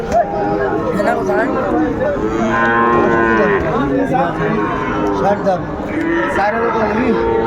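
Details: Sahiwal bull calves at Ambari cattle market, where Chattogram farmers buy, on 31 January 2025: loud, rich, drawn-out moos overlap one another and fill the whole stretch, with market noise underneath.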